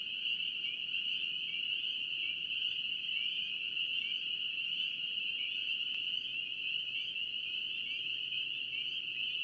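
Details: Spring peeper frogs, North Carolina, calling en masse: a relentless shrill chorus of short, upward-sliding peeps, overlapping without gaps, one brief faint click partway through, soft low background noise.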